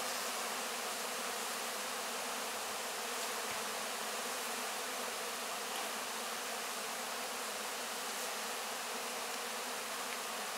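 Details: A crowd of honey bees clearing what is left of the wax cappings at the close of the 2024 honey harvest, heard up close as an unbroken, uniform droning hiss.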